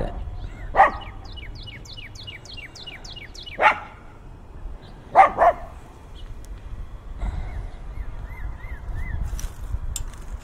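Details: Fiercely barking dogs, recorded binaurally with in-ear microphones in heavy wind: four loud, harsh barks spaced a few seconds apart, the last two close together, with a songbird's descending chirps and wind rumble behind.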